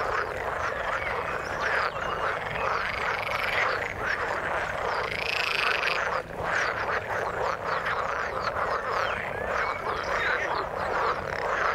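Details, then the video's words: Chorus of frogs calling in water: many overlapping raspy croaks forming an unbroken wall of sound, a few brighter higher notes standing out near the middle. "Frog sound in the water"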